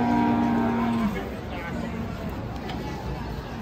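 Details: Bull named Grandong Jr, agitated after coming off a truck and being bathed to calm it down; a steady, flat, low moo held for about one second, followed by murmuring voices and background noise.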